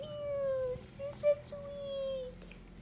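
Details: White Angora mother cat named Kotka, cleaning and nursing her orange tabby kittens indoors, gives one sustained, level tonal call of about two seconds with a brief break midway and a slight fall at the end, over quiet room noise.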